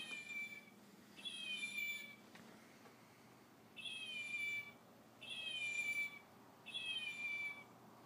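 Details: A fox gives high, cat-like meows, each about a second long, repeated in a steady series, while a chow puppy plays with it.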